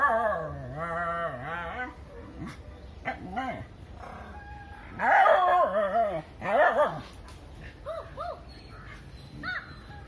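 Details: Dog defending its area against a monkey, almost crying as it tries to send it away; a long, wavering whine opens, then loud, strained yelping cries around the middle and short rising whimpers toward the end.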